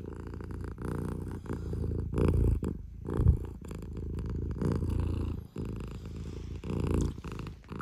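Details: Loud close-up purr from a domestic cat come to wake its owner at dawn, a deep buzzing rumble in rapid regular pulses, briefly broken by pauses and soft thumps of movement.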